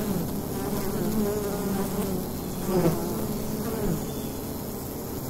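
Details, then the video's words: Bees buzzing at the entrance of a wild hive in daytime in fall: a dense, continuous low drone with wavering hum bands, steady in loudness with slight swells. "Wild Bee Hive in the Daytime - ambient sound"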